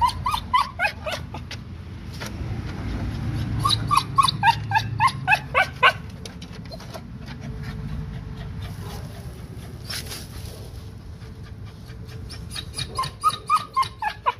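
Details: A Cocker Spaniel whining because it wants to get into the garden to hunt: bursts of high, quavering whimpers and yips, several rapid runs of them separated by quieter stretches with a low background hum.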